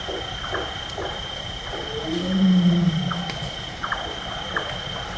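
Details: Wild Bengal tiger calling at night in a lowland forest in Nepal: one deep, low moaning roar swelling through the middle, over a steady insect whine, repeated chopping notes of a Large-tailed Nightjar and high chirps.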